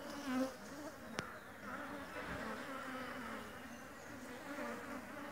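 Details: Honey bees from a new colony foraging for pollen and nectar at a home-made feeder; even droning buzz throughout, with a sharp click just after one second and a soft low thump midway.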